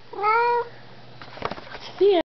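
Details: Indoor pet cat meowing at its owner in an evening chat: one long steady meow, a pause filled by the owner talking, then a brief bent, lower-pitched cry.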